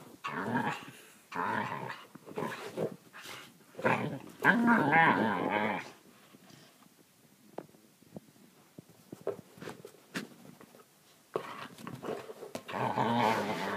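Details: Kayla the Australian Kelpie producing funny noises inside: bursts of grumbling, moaning growl-whines, the loudest a wavering, talkative rumble midway, separated by quiet pauses with faint clicks, then another grumbling run at the close.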